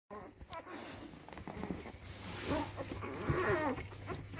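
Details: A young male Labrador puppy discovering his voice gives a few squeaky, whining yelps that bend up and down in pitch.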